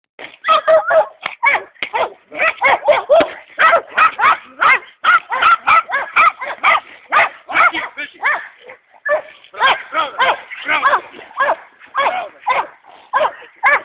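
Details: Dogo Canario champions Hena and Dagmar attacking during attack training: harsh, rough barks fired nonstop at about two per second, loud and closely packed with hardly a gap throughout.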